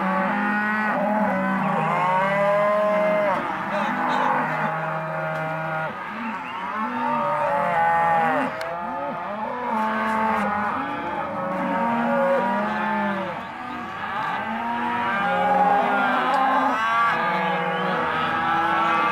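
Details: Auction lot of young Hereford and Careta cows calling together, overlapping bellows and arched moos rising and falling, some longer drawn-out lows among them, with a faint engine-like rumble underneath.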